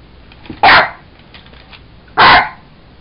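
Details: Jack Russell Terrier playing with a toy monkey, giving two sharp, loud barks about a second and a half apart; a person speaks quietly around them.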